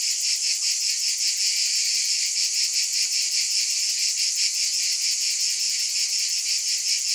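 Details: Massed cicadas droning loudly and without pause, the high buzz swelling and fading in quick rhythmic beats, with nothing else audible.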